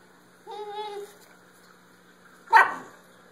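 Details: Basenji dog, a pet, giving a short tonal whine followed by a single sharp bark about two seconds later, over a faint steady hum.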